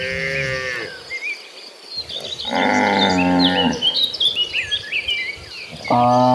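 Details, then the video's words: A herd of cows heading to a green pasture: a long lowing moo, a pause, then a louder, strained bellow and the start of another. Plenty of high bird chirping and twittering fills the background. "The Sound of Gentle Cattle, Dozens of Cows Walking Toward a Green Pasture."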